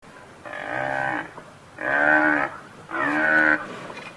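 Three low, throaty bellows from a buffalo come in steady succession, each rich and resonant and lasting nearly a second. The calls have a moaning, cattle-like quality, separated by brief quiet gaps.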